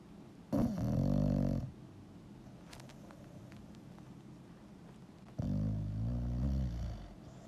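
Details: Sleeping bulldog snoring indoors: two long, deep rumbling snores, each lasting about a second, spaced roughly five seconds apart, with quiet room noise in between.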